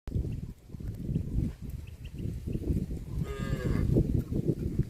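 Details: Tame cow walking across mud in a rice field; one short harmonic moo rises briefly near the end over constant low rumbling and splashing from movement through the mud.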